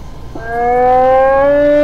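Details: Hyena call from a vocalization collection: a tonal, harmonic-rich voice rising steadily in pitch over under two seconds after a brief noisy onset.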